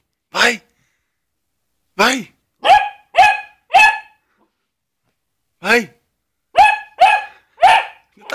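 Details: Basset Hound trying to scare a glove barks in bursts: a single bark, a quick run of four, then after a pause four or five more, each sharp and ringing with a quickly falling tone.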